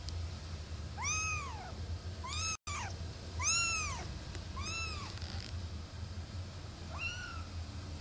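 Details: Singapura kitten, a male 23 days old, mewing indoors: five clear arched high-pitched mews in the first five seconds, each under a second long, then a last rising mew near the end, over a low steady hum.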